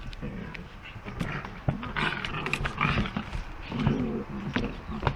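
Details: White puppies playing with a toy, producing rough, growly, roar-like play noises in uneven bursts, with scuffling and thumps throughout and a brief human voice in the background.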